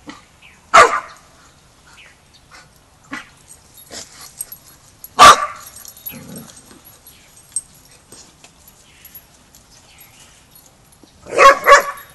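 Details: Border Collie barking while a young pup named Rammstein has his first lesson with the pack at a boot camp; three loud, sharp barks spaced several seconds apart, with quieter shuffling between them.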